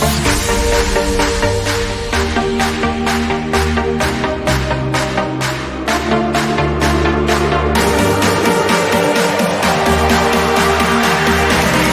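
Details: Driving electronic dance music with a regular pulsing beat fills the recording; no animal sound is heard.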